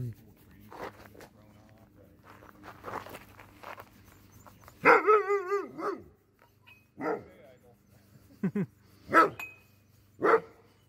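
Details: Friendly sled dogs in Alaska, trained to be sociable, greet a visitor: sharp yelps, then a long wavering whine-howl around the fifth second, followed by scattered short barks, with a person talking and background music.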